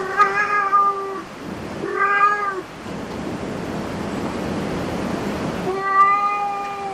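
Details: Cats in a cat cafe giving clear, steady harmonic meows: two about a second long at the start, a hissy gap, then a third near the end over background room noise.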